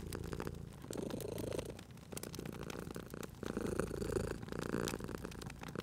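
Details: Sleeping cat purring near a crackling fire in cozy spring surroundings: two long swells of low, buzzing purr with a softer dip between them, accompanied by sharp popping fire crackles.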